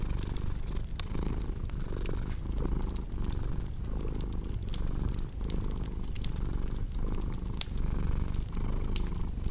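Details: Purring house cat, deep rumbling drone rising and falling about once a second, with frequent bright snaps and crackling from a burning fireplace on top.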